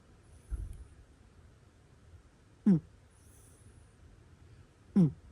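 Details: Cat asleep indoors giving soft snores: a low muffled breath followed by two brief nasal, whistling snorts roughly two seconds apart against near silence.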